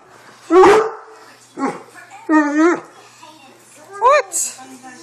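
A Great Dane gives a run of moaning, wavering vocal bursts, asking to go for a walk.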